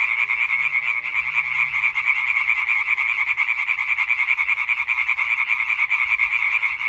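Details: Chorus of European tree frogs, 20 May 2023, a calling concert: loud, unbroken overlapping croaks pulsing quickly, forming a harsh buzzing rattle that never pauses; faint low rumble underneath.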